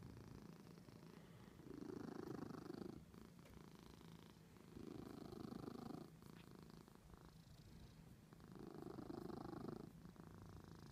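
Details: Loud, throaty purring from Natasha the cat, rising in strong rumbling surges about every three seconds, each inhale-exhale cycle clearly separated by softer gaps.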